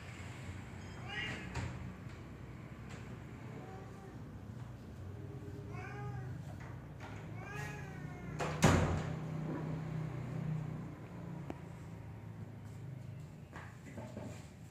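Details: Black cat on a tree gives several arched meows spaced through the middle, mixed with human speech and a sharp knock near nine seconds, low hum underneath.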